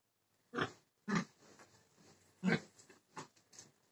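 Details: Pig giving short rough grunts, three strong ones about a second apart with softer snuffling grunts between and after them, in a quiet indoor setting.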